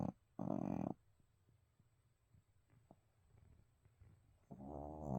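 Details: Abel, a pet dog asleep indoors, gives a half-second rasping snore, then soft irregular breathing clicks, and begins another rough snore at the close.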